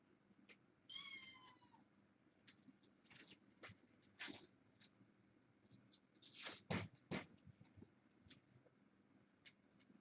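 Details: Young kittens, born August 29th, four females and two males, indoors playing while a webcam is being replaced; one short high rising-falling meow near the start, then scattered clicks, thumps and rustling handling noises.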